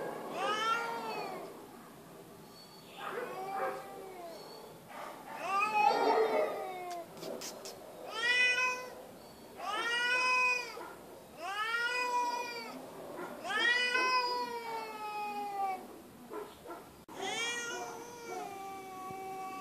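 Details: Feral female cat at an animal shelter gives loud, drawn-out meows, each arching up then falling, in repeated bouts of about a second with short pauses between them. Hissing, broadband bursts appear between some calls.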